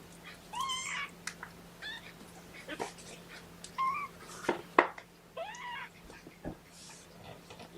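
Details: Young kittens, one of Mama Seraphina's litter of four, protesting at being pottied ahead of weighing: thin, rising-then-falling mews repeated every second or so, with handling clicks and rustles in a quiet room.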